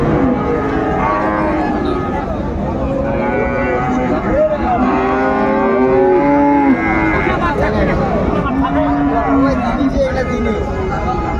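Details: Cattle lowing at a cattle market in Raniganj, Dinajpur, Bangladesh, where Friesian and cross-bred bull calves are being bought and sold on 2 January 2025; drawn-out low moos that overlap steady crowd chatter and bargaining voices throughout.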